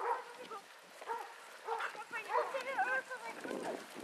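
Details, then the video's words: A pack of 18 Basset Hounds on a walk at Belwade Farm near Aboyne, Scotland, 10 August 2014. Scattered short yelps give way to a cluster of wavering, arched bays near the end, with voices in the background. "Scottish Basset Hound Walk at Belwade Farm August 2014"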